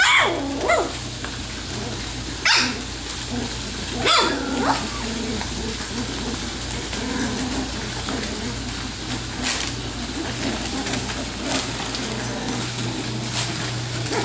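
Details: Three-week-old F1B Standard Goldendoodle pups, part of a litter of ten, play fighting while learning to bark: sharp, short high yips break out every couple of seconds over constant low hum and rustling.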